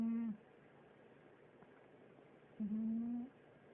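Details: Garfield, a pet cat, snoring indoors in a small room: two short, steady, hum-like tonal snores with faint overtones, the second longer, separated by about two seconds of quiet breathing hiss.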